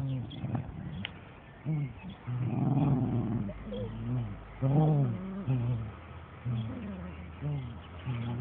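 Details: Playful growling from Dandie Dinmont Terrier mum Lady romping with her puppies and others: low, stacked harmonic growls in bursts about a second apart, one longer rough rumble, with scuffling between.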